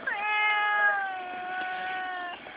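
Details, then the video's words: Whiny female barn cat on a family farm answering a person's voice with a long, steady, nasal meow lasting about two seconds, slightly falling at the start; soft background noise. "Behold, the Whiny Cat"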